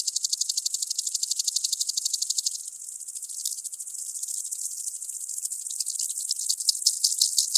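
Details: Common green grasshopper recorded in Tschenn, Italy, 19 August 2019: high rattling stridulation in rapid pulses, strong and even at first, then briefly softer and irregular before the pulsed buzzing returns louder toward the end.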